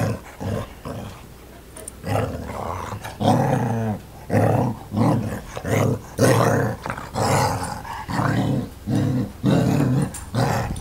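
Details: Domestic dog howling, with low growly, harmonic yowls in repeated bursts of roughly one second each. About a dozen bursts are separated by short pauses and rise and fall in pitch.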